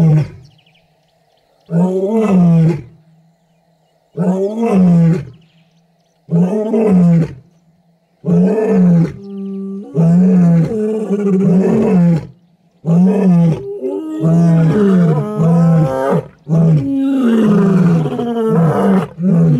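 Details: Wild lions of the Kambula pride and Ndhzenga males roaring at MalaMala Game Reserve, Africa, near mating pairs and cubs. Deep, moaning roars are repeated about every two seconds and grow overlapping toward the end, over a faint steady engine hum.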